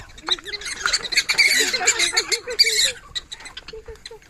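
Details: Several captive black-tailed prairie dogs at Animal Forest in Uminonakamichi Seaside Park, Fukuoka, quarrel mid-meal over carrots a keeper laid out for dinner: a loud burst of harsh, scratchy squeals and chattering for three seconds, then softer short squeaks.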